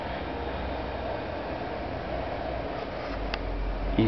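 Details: Steady mechanical hum and low rumble like a fan or vehicle, with faint indistinct voices and no animal calls.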